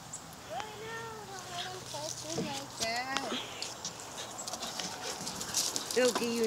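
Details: Pack of huskies, riled up by a malamute stream on 10/2/17, running and playing wildly before settling down. Drawn-out wavering woos and short bent yelps repeat, over scuffling paws and faint talk.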